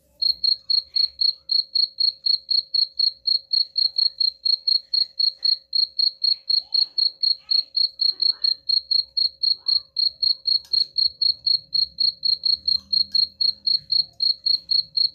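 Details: Cricket sound meant to scare off rats: an unbroken series of shrill, clean chirps at roughly four per second throughout, with a little soft low background noise toward the end.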